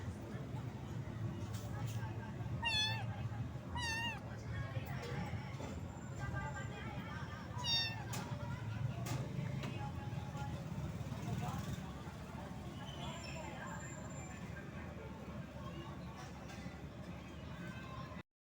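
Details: A small kitten found wet in the rain and shivering from the cold, meowing in short rising-falling cries, several in quick succession near the start and more scattered later, over steady low rumbling background noise and some voices.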